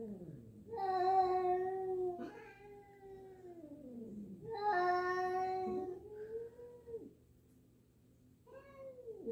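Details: Jill, a black house cat, meets a new black-and-white cat indoors and is unsure of her; loud overlapping meows and wavering caterwaul-like calls, gliding down in pitch, then a quieter stretch and a short final meow.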